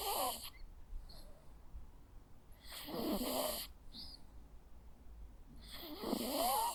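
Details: Dozing Jack Russell Terrier snoring steadily, rough wheezy inhalations about every three seconds with small snuffles and soft whistles in between, in a quiet indoor setting.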